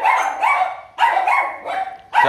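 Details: Dogs at a dog-breeding kennel in Kon Tum, Vietnam, which keeps mostly Rottweilers and also Huskies, bark loudly and repeatedly: high, ringing barks with a slightly whiny edge, about twice a second.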